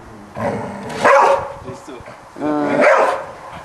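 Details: Golden Retriever barking at a Spiderman toy, giving two long, harmonic-rich barks or howling yelps about a second and a half apart, with a person's voice mixed in.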